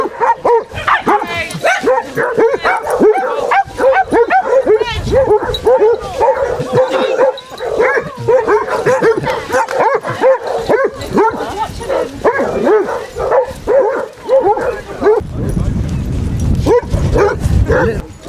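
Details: A pack of 24 Basset Hounds on a five-mile walk along Burnham and Berrow beach, Somerset, on 2 February 2014, keeps up a dense, overlapping chorus of deep, resonant barks and bays for nearly the whole stretch, with a person talking in between.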